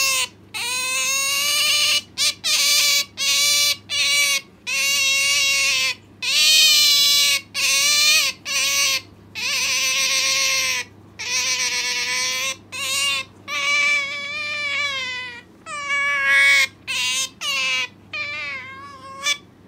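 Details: Clinging insistently to her owner at home, the pet Asian small-clawed otter Sakura calls nonstop: a rapid series of shrill, harmonic whines, short and long, some wavering in pitch, broken by brief silences over twenty seconds.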